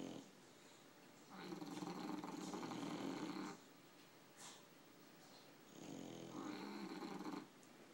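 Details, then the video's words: Sleeping English bulldogs, two tired dogs, snoring. Two drawn-out, gravelly inhalation snores each last about two seconds, with a faint snuffle between them in a quiet room. "Snoring Sleepy Bullies"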